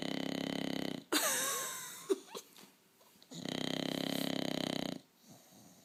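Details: Huckleberry, a bulldog, snores in a harsh rattling burst lasting about a second, followed by a sharp squeaky snort with whistly sounds, quieter breathing, then a longer rumbling snore of nearly two seconds.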